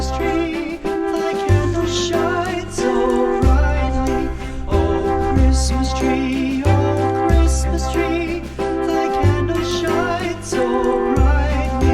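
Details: Upbeat instrumental music with a steady bass line and bright melodic tones, with no animal voices.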